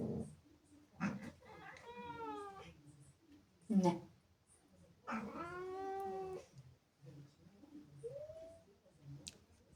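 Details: ['Indoors, Zippy the female cat voices jealous anger at kittens invading her home: two drawn-out moaning yowls with falling pitch, separated by sharp bursts, then a brief rising mew near the end in a small room.']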